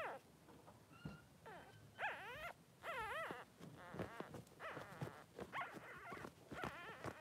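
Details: Cavalier King Charles Spaniel puppies, two Blenheim boys aged three days, in their pen with mother Pom-Pom: wobbling, wavering whines and squealing cries in bursts, some drawn out, with clicks and rustles.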